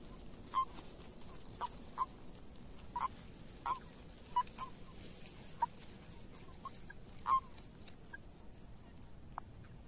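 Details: Common toads calling during breeding on their migration, a string of quiet, short croaks spaced about a second apart across the whole stretch, with steady soft background hiss.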